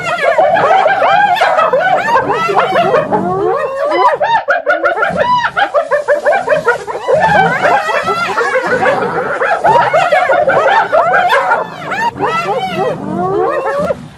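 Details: A dense chorus of hyena laughter: many animals giggling at once in fast, chattering, high arched notes that barely pause throughout.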